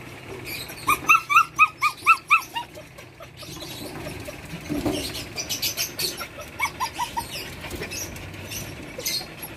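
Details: Belgian Malinois puppies, a litter of one female and five males born July 8, 2022, at a kennel in Santa Rosa, Nueva Ecija, Philippines: about eight high, whiny yelps in a quick even run, then a softer, faster string of whimpers over rustling.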